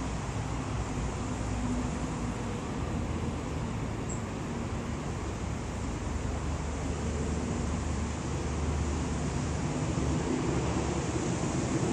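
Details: Steady, loud roar of road traffic with a rumbling low end and passing vehicles, with no animal voice standing out.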